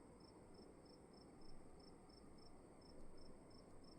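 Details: Cricket in a room giving regular high chirps about every third of a second, with two soft low thumps and a steady background rumble.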